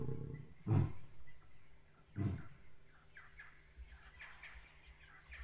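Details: Lions of the Nyari pride roaring to claim their territory on the eastern side of the river, answering a neighbouring pride. Two deep, booming grunts sound about one and a half seconds apart, followed by birds chirping.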